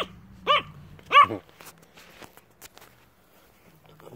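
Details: A Yorkshire Terrier gives two sharp, high barks about a second apart, begging during a game of fetch with a small stone.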